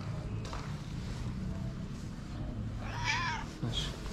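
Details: Stray calico cat with a black spot on the nose, living on the street in Morocco, gives a single short meow that rises and falls near the end, over a steady low rumbling background.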